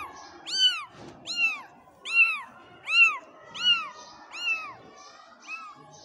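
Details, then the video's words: Kittens calling with clear, high-pitched meows, each a short rising-then-falling arc, repeated steadily about every 0.7 seconds for eight calls, over a quiet room background. "cute kittens voice"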